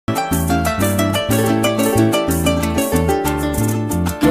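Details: Plucked harp melody over a steady bass line in a lively Latin style, with no animal voices anywhere.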